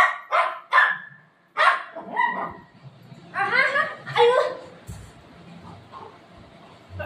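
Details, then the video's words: Golden retriever dog playing with its owner at home: a few sharp, short bark-like bursts open, followed by a pair of higher, wavering whine-like cries, with human talk mixed in throughout. "cute golden retriever dog playing with mom"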